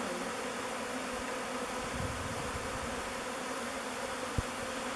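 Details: A honey bee swarm of thousands of bees mills around a log hive, Bee Beard, chosen as its new home. The bees give an unbroken droning hum, steady in pitch. One sharp tap sounds near the end.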